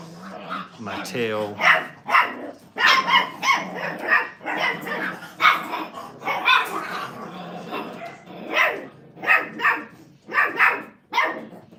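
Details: Five-week-old Brittany puppies in a crate at a training kennel, giving a rapid, uneven run of short, sharp yips and barks about every half second, with a voice-like murmur underneath.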